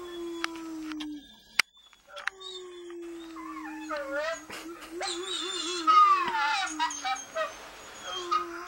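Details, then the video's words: Dog howling with long, sustained tones: a steady low howl, then a wavering, quavering stretch that rises and falls, with higher overlapping voices joining in the second half. "the howling dog"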